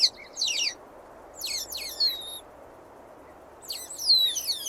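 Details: Otter calling with high, thin whistled squeals that fall and flutter in pitch, coming in three bursts over a few seconds with quiet hiss between them.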